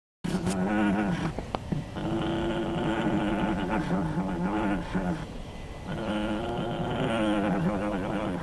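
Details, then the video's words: A llama, still drugged after being sheared, gives low, drawn-out grunting moans that waver in pitch, with only brief pauses. "Drugged Up Llama Makes Funny Grunting Sounds"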